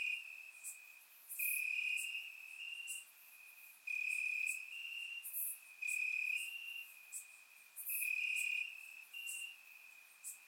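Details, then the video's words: Night chorus of crickets chirping in grass during a warm Bulgarian summer, surround-recorded: high, even trills in pulses of one to two seconds, two callers alternating slightly apart in pitch, with faint sharp clicks overhead. "Cricket Sounds - Crickets Chirping at Night"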